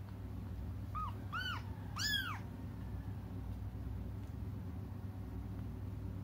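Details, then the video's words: Young cats crying while waiting for their mother to come back: three short, arched, rising-then-falling meows in quick succession around one to two seconds in, followed by quiet low background hum. "until their mom comes just stop crying"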